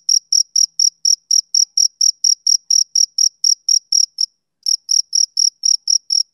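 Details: Male cricket chirping on a summer evening: steady, high, pure chirps repeated about four times a second, broken by one brief pause before the rhythm resumes.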